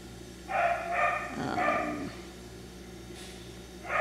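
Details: A young F1b Cockapoo, a Miniature Poodle and Cocker Spaniel cross puppy at Dyer Farms, lets out a quick series of sharp, bright barks, then a pause before one more bark at the close, with faint low hum beneath.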